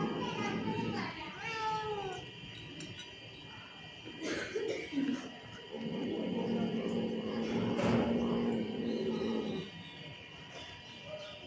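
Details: Angry cat with a drawn-out, wavering meow, then short yowls and a long low growl. Faint background voices are heard.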